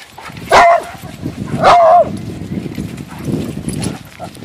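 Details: Weimaraner playing with other dogs at a dog park: two short, loud, tonal barks about a second apart, with a bent, whining pitch, over faint outdoor background noise.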